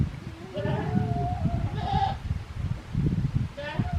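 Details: Goat kid Daizu at Yoshigake Farm in Japan on a warm spring day, 24 March 2021, gives quavering nasal bleats, one drawn out and two shorter, over low rumbling background noise and a person speaking.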